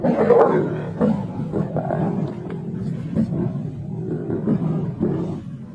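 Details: Lions of the Kambula pride feeding on a kill on 2 June 2024: continuous deep, rough rumbling growls with a louder burst at the start, then steady grumbling without clear pauses.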